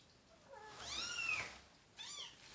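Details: Kitten crying indoors while being handled for deworming alongside its mother and siblings: two high, arching harmonic meows, the first long and rising then falling, the second shorter, with a woman speaking softly nearby.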